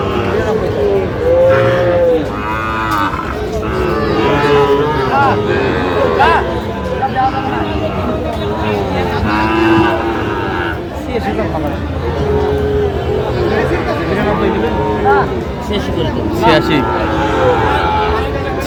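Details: Market moos from Sahiwal bull calves at the Aftabganj cattle market, Bangladesh, 16 August 2025. Repeated short and long lowing calls rise and fall through a busy soundscape of men bargaining and crowd babble.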